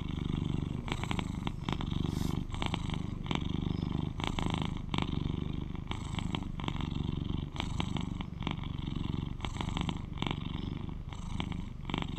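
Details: British Shorthair cat, eleven years old and the loudest purrer of its household, rumbling a low continuous purr in rhythmic breaths, with many crackling rustles and short bright scraping sounds throughout.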